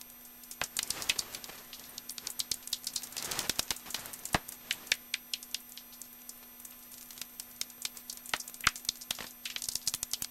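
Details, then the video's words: Common noctule recorded with a Nitemax in Hofholz, evening of 22 November 2012, 18:30, clear sky, roughly 7 degrees: sparse sharp clicks with short buzzy rattles near 1, 3.5 and 10 seconds, over a faint steady hum. "Abendsegler im Hofholz"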